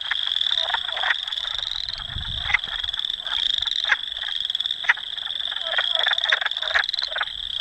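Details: Manitoba wood frogs singing in Dauphin, Canada, on April 18, 2008, filmed with a Canon PowerShot S5 IS: repeated short croaking clucks over a strong, steady high trilling drone, with faint low rumble in the background.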